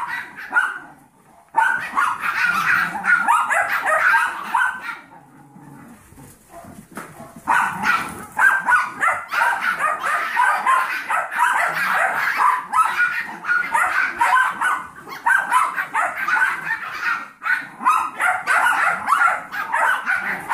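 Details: Seven-week-old Yorkie foster litter with mother Maddie, together with Trouble, a 15-week-old Golden Retriever mix puppy; after a quieter opening, excited high-pitched barking and squealing from many pups builds and continues almost without pause.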